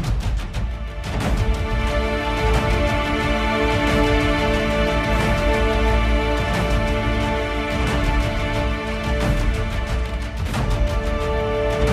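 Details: Steady theme music with sustained tones and rhythmic beats plays throughout, with no animal voice audible.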